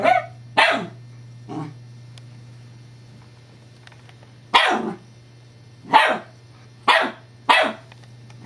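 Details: Scottish Terrier named Evangeline, playing with a new teething pacifier toy whose rolling disc upsets her: sharp separate barks, two early then a cluster of four short ones spaced about a second apart, with a steady low hum throughout.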